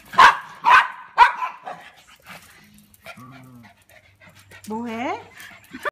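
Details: Female standard poodle playing at home with a Christmas toy over her eyes; three quick barks in a row, then quieter sounds and a person's voice with a rising, wavering tone near the end.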